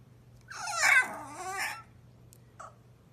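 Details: Blue-eyed French Bulldog indoors, making a drawn-out, wavering, moaning talk-like sound that rises and falls over about a second and a half, then a short faint sound after a pause.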